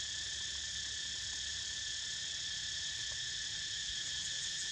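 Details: As Niko naps, a dense cicada drone fills the air, an even high-pitched hiss and whine without breaks or changes in volume, over a quiet low background.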